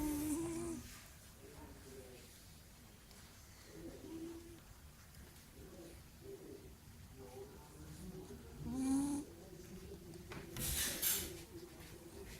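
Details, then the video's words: King Julian, a sleeping cat, snoring quietly: irregular soft, low, rattling breaths with faint tonal wheezes, and a couple of louder breathy rasps near the end. "Snoring Cat"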